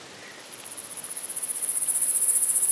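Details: Long-horned club grasshopper, Myrmeleotettix antennatus, singing at Nesvady, Slovakia, on 23 July 2023: a very high, finely pulsed buzzing that steadily grows louder over nearly three seconds.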